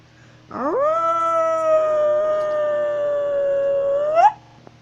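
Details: A wolf in northern Eurasia howls as it walks: a rising onset into a long level, richly harmonic note lasting about three and a half seconds, ending with a quick upward inflection; faint background hum.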